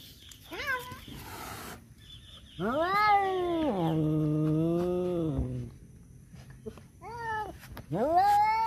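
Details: Male domestic cats fighting over a female: long wailing caterwauls with rising and falling pitch, a drawn-out howl near the middle and shorter rising yowls at the end, some background noise.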